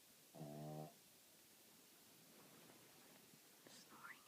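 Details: Jasper the dog asleep and snoring loudly: a single half-second rattling, buzzy snore at the start, followed by soft hiss and a couple of faint thin squeaks near the end.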